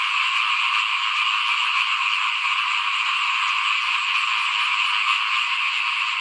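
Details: Frog chorus outside a house at rice sowing time in 2021. Many callers merge into a continuous, shimmering rattle of fast pulsed croaks at an even level, with nothing else standing out.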